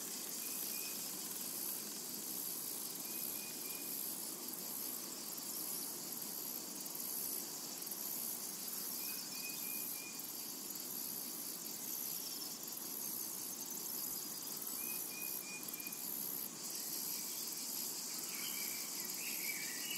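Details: Cicadas in a tranquil summer meadow keep up a dense, steady high-pitched hiss with a faint pulsing shimmer on top, while a few short, thin bird chirps come through at intervals over a soft low rumble.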